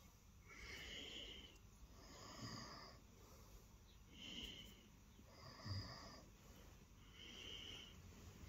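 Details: Lilo, a cat seeking attention on the bed in the early morning, purrs in a steady rhythm; a buzzy rumble alternates between inhale and exhale roughly every second, even and continuous, in a quiet indoor setting.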